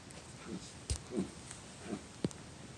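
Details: Dachshund reverse sneezing indoors: a quick run of five short, rough snorting bursts over about two seconds, irregularly spaced, with a sharper final snort.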